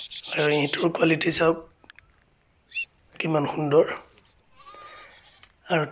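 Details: Barbari goats on a goat farm in Assam, India, bleating in loud wavering harmonic cries, two long bleats around half a second to a second and a half each, then a short one at the end, with a faint whine between.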